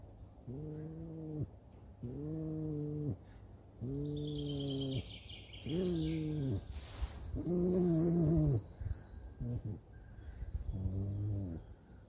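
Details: Pet red fox Alice, woken by dogs, gives a series of six drawn-out, even-pitched whining cries, each about a second long, repeated roughly every two seconds, with light music playing in the background.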